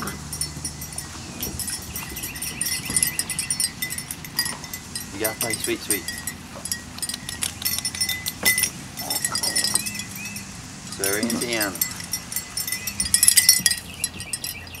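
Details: Biscuit Bentley puppies at playtime give a few short harmonic whines and squeals, one sliding up and down around the middle and a louder squealing burst near the end, over scratchy clicks, rustling and a faint human voice.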